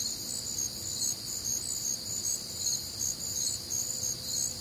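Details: Midwestern summer night, warm and humid, filled with crickets: a shrill, pulsing chorus of high chirps, slightly quicker at around two and a half per second, steady throughout with quiet low rumble underneath.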